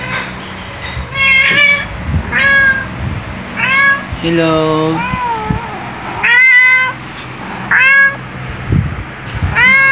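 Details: Black male house cat waking up beside its owner and greeting loudly and jollily: a rapid string of short, high, upward-sweeping chirpy meows, about eight in ten seconds, with one longer, lower drawn-out call in the middle.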